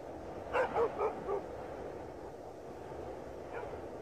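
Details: Dogs barking in snow: four quick, sharp barks in a row, then a single fainter bark after a pause, over a steady background hiss.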